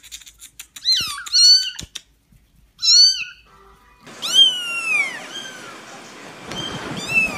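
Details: Cats meowing: high, thin kitten-like meows with bending, rising-then-falling tones, several close calls, then a longer meow over hissy background noise.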